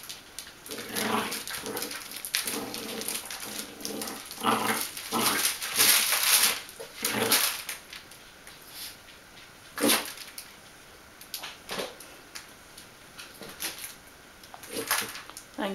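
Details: Young Bichon Frisé puppies, 8 weeks and 5 days old, kennel-raised in Vejle, Denmark, letting out clustered squeaky yips and low play-growls in bursts over the first seven seconds, then sporadic sharp clatters and knocks.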